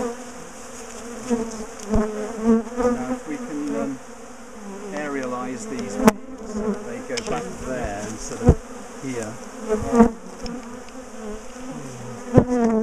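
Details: Bees of a big top bar hive colony stirred up while being split and relocated, giving a thick continuous hum with swooping tones as individuals fly close, plus occasional loud knocks.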